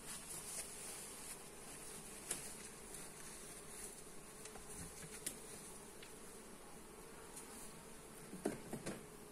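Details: Steady drone of honey bees in an opened hive under inspection, phone-recorded on a Xiaomi Redmi Note 8; even humming throughout with occasional sharp clicks and a cluster of louder knocks near the end.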